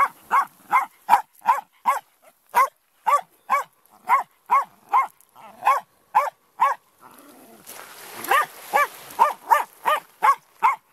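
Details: Wire-haired Jack Russell terrier Benson barking at the incoming tide on the beach at Lydstep near Tenby in Pembrokeshire, Wales: rapid, regular volleys of sharp yaps, about two or three a second, briefly broken by the hiss of a breaking wave.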